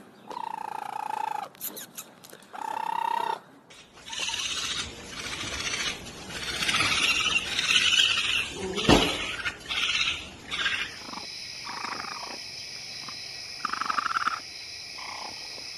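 A raccoon gives harsh, raspy chittering and squealing bursts between stretches of voice and tones.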